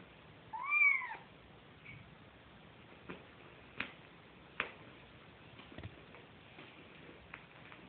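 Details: Kitten searching for its mother's milk gives one short, arched mew early on, followed by a faint second squeak, then rustling and soft tapping noises.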